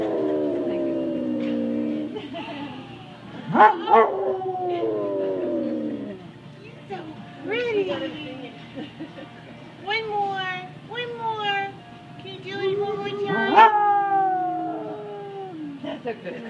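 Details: Moose, a Basset Hound, sings to diners in an Oregon restaurant: long wavering howls that slide downward, then a run of shorter rising-and-falling yowls with rich harmonics, over faint room chatter.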